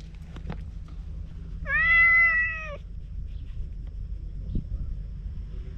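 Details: Wary stray cat by a road leading to the sea, filmed with a GoPro HERO8: one clear, sustained, level meow lasting about a second, amid quiet low background rumble and a couple of soft knocks.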